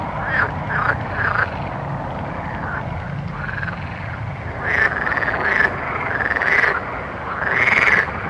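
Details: Nighttime frogs giving paired and grouped croaks, quieter in the middle, then louder rolling calls building near the end, with a steady low background drone.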